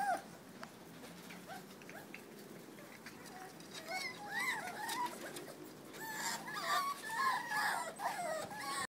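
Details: A litter of 49-day-old Jack Russell Terrier puppies give high, wavering squeaks and whines that overlap in quick bursts.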